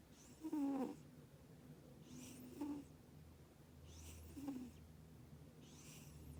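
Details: A female British Shorthair cat asleep indoors snores gently, with hissy breaths roughly every two seconds carrying brief low buzzing snore tones, the first one strongest, over a quiet low hum.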